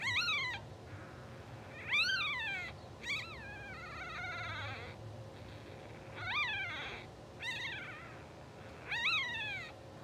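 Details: Two-hour-old English Bulldog puppies, blue sable litter, dozing and twitching, give short sharp squeals that jump up and drop quickly, about six bursts over ten seconds, some trailing into fainter wavering whimpers, over a quiet hum.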